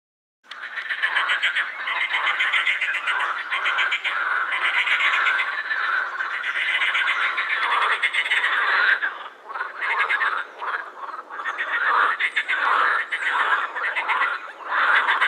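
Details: Edible frogs croaking in a dense chorus at the Krebsenwasser pond in Vienna's Prater, males inflating vocal sacs; overlapping rapid rattling, quacking croaks run continuously for fifteen seconds with brief dips in loudness.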